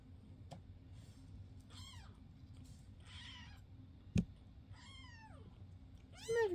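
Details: Domestic foster cats indoors, filmed May 22, 2024, with adult foster Basil alongside fosters Oodles and Zimothy; several short arching meows scattered across the stretch, a sharp knock midway, and a woman's voice greeting the cat in between.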